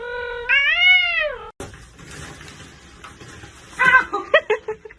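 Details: Domestic cat giving a long, drawn-out rising-then-falling meow lasting about a second, followed after a break by noisy rustling and a burst of short, choppy meow-like yowls near the end.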